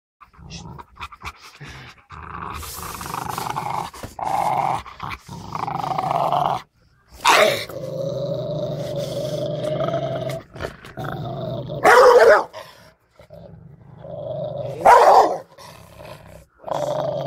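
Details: Angry Rottweiler growling in long, rumbling stretches of several seconds each, broken by short pauses, with a few louder, harsher bursts near the end.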